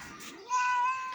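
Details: Domestic cat meowing at home while being called to eat rice; a short rising call with a steady tonal middle, preceded by a woman speaking in Bengali.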